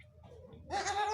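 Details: Goat bleat from a first-time mother being taught to nurse her kid: after faint murmurs, one short, nasal, wavering bleat in the final half second.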